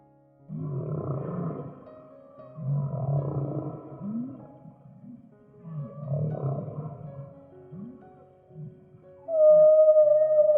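Low, groaning whale calls with short upswept moans, set against background music.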